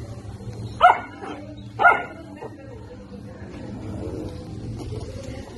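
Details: German Shepherd puppies, 70 days old, barking: two short, sharp barks about one second apart, then low rumbling background noise and faint voices.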